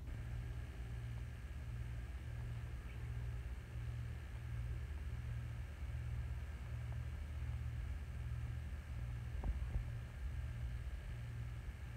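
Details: Low, pulsing mechanical rumble like an idling engine runs throughout with a few faint clicks, and no animal voice.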